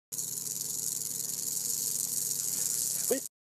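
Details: Eastern diamondback rattlesnake found in Miami-Dade County rattling. A continuous, high, dry hiss-like buzz runs steadily for about three seconds, with a brief faint voice near the end.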